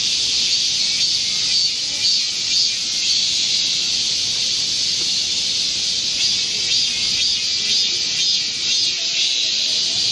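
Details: Korean cicadas singing together in a green forest in midsummer heat, recorded 25 July 2024. A loud, sustained high-pitched whirring wall of sound with soft periodic surges about every second or two.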